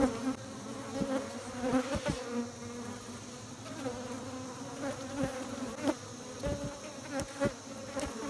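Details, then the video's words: Honey bees make a steady, droning hum of many wingbeats, with a low fundamental and clear overtones; beekeeping context. "Humming Buzzing Noise Of Bees, Bees Behavior, Beekeeping"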